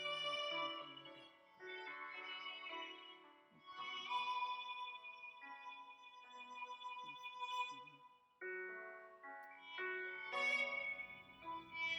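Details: Gentle classical-style music with sustained violin lines over piano chords, changing phrases every few seconds; no animal voice stands out.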